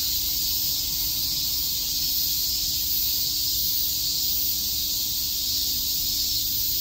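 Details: In Tokyo's Shakujii Park on a summer day, many cicadas chirp together as one steady, high, hissing wall of sound that never breaks, with a thin low hum running beneath.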